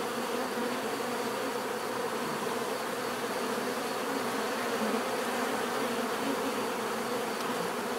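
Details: Steady swarm-like drone of bees buzzing naturally, thick and even, with individual insects' tones rising and falling within the hum.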